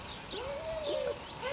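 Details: One of Sunny's six puppies, 8 weeks old, lets out a single drawn-out whine, a steady tone that swells slightly and fades after under a second, with a fainter note following.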